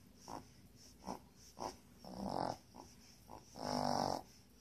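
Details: A puppy sleeps and snores: several brief breathy puffs, then two longer, louder rasping snores, irregularly spaced, over a faint high background tone.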